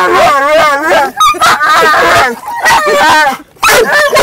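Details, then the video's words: Inside a car, a dog vocalizes in long, warbling, whine-like yowls that bend up and down in pitch, broken by a couple of short gaps, while a second dog moves around. "funniest dog sound"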